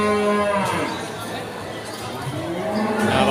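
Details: At Pasar Sapi Pon in Ambarawa, Indonesia, during Ramadan 2024, cattle give a strong harmonic moo that fades, followed by fainter lowing, with market chatter behind.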